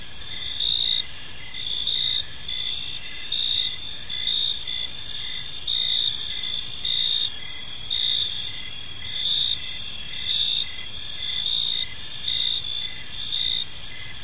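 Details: Peaceful evening park filled with cricket chirping, a sustained shrill high trill and clearly pulsed chirp bursts recurring around every second, the chorus swelling and dipping evenly throughout.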